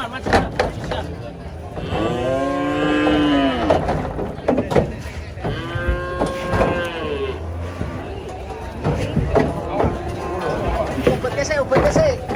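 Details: A giant cow raging while being loaded beneath a tree gives two long, drawn-out, quavering moos a few seconds apart, amid repeated knocks, clatter and scuffling from the struggle.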